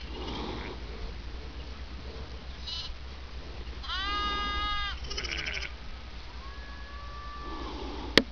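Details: Merino lambs about a week old, out playing in New South Wales, Australia. A loud, drawn-out, wavering bleat lasts about a second, then comes a shorter cry and a fainter, flatter bleat. Constant low background rumble, with a sharp click at the end.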